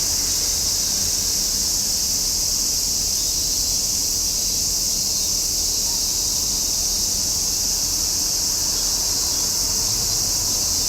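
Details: Summer cicadas keep up a long, uniform, high-pitched whirring drone with no gaps or rhythm changes, a faint low hum running beneath it.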